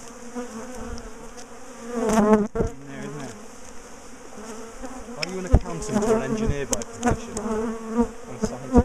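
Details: Bees of a big top bar hive colony, aggressive toward their keepers, hum loudly as the hive is dismantled for moving; surges of wavy buzzing alternate with thumps and sharp knocks from handling the hive.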